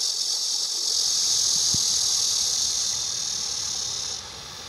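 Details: Cicada song: a dense, continuous high-pitched buzzing drone holding steady, then dropping abruptly in loudness near the end, with a brief low thump partway through.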